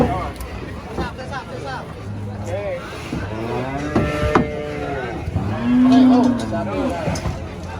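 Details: Enraged giant cow being loaded under a tree; a single clear arched moo rises and falls near the end amid a mix of shouting voices, clatter and low engine noise.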